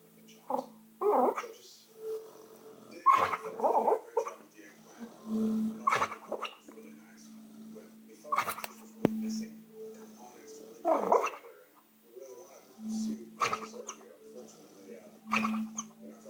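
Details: Dog asleep and dreaming, snoring with flapping lips: soft puffing, fluttery bursts every two to three seconds, separated by quiet breaths, over a steady low hum in the room.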